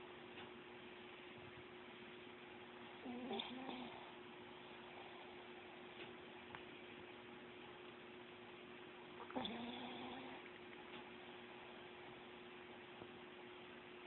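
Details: Chihuahua asleep, giving two soft, raspy snoring breaths about six seconds apart over a constant faint electrical hum, otherwise quiet.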